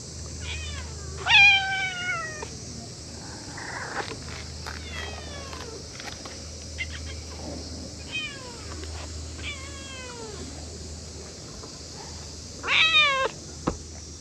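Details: Several playful cats clustered around a waiting room, giving many short downward-sliding meows in quick succession, with louder harsh squalls at the start and near the end, plus faint clicks and a low steady hum.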